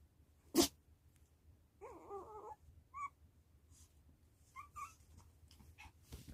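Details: Puppy responding to its mother with a thin, wavering whine lasting under a second, followed by a couple of short high squeaks, between a sharp sniff at the start and rustling at the end.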